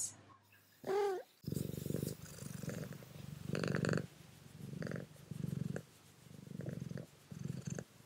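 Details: Mouse, a female pet cat, purring while trying a prawn cracker for the first time; a short meow near the start, then steady low rumbling purrs in pulses of about half a second to a second, repeating through the clip.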